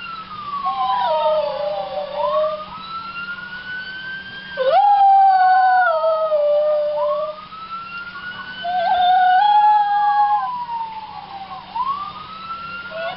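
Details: Mocha the dog howls along to a police siren, sustained quavering notes sliding downward while the siren's rising and falling sweeps repeat every few seconds underneath.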